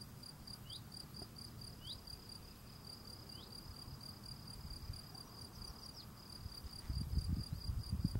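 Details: A male field cricket sings a steady, high, pulsing chirp, repeated rapidly throughout, while cleaning his doorstep.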